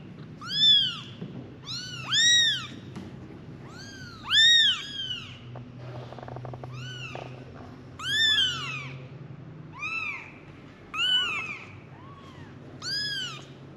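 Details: Five little kittens calling their mother: a long series of thin, high, arch-shaped mews, often in quick pairs or overlapping between kittens, around a dozen calls at uneven intervals over a soft low hum.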